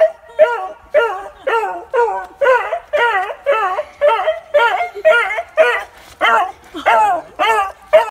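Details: A beagle gives a run of short, wavering howls, each rising and falling, in an excited greeting as it is reunited with its owner after a year and a half apart.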